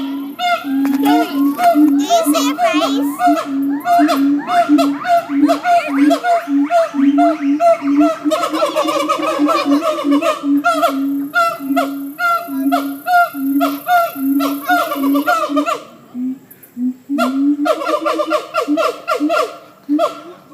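A monkey gives a long, steady, voiced call with a rough, gargling, rapidly pulsing edge.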